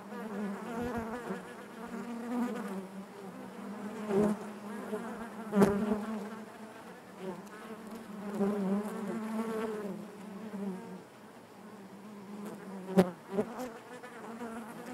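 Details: Honey bees buzzing inside their hive, a dense steady hum centred low with layered overtones, swelling and fading in waves, with brief sharp clicks as individual bees pass close.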